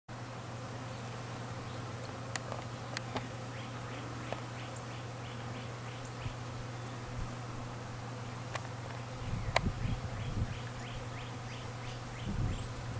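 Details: Honey bees at an open feeder with honey frames leaned up for them, some fighting, during a season still cold at night: a steady low droning hum throughout, with rapid repeated bird chirps in series and a few sharp clicks.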